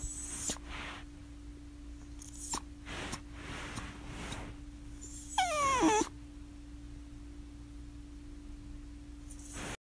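A Miniature Schnauzer gives a single high, wavering whine that slides downward, over a steady background hum.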